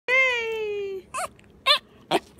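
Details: A Schipperke joining in a celebration gives a drawn-out, slightly falling howl, followed by short wavering yips.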